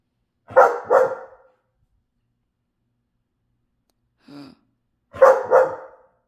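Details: Pet dogs at night give a double bark, then a brief soft whine after a long pause, then another loud double bark, all sharp and harsh.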